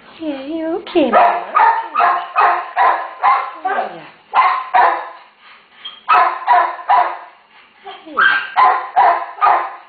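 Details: Terrier mother with one-day-old puppies, in need of rescue; sharp barks in quick bursts of three to six, roughly 150 per minute with short gaps, plus whining tones and a person speaking soothingly.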